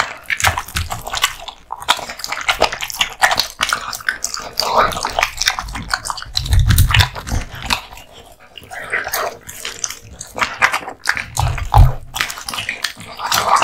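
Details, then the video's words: Male American Bully (Pit Bull), born 2016, eating raw meat and bones: steady crunching and wet chewing clicks, with low rumbling bursts around the middle and near the end. "Dog eating Raw Meats ＆ bones 【American Bully】"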